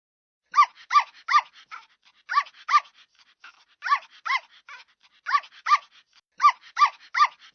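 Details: Puppy giving high, arched yelps with clear harmonics, in quick bursts of two to four separated by short pauses, about a dozen calls in all, with soft fainter whimpers between them; no other sounds.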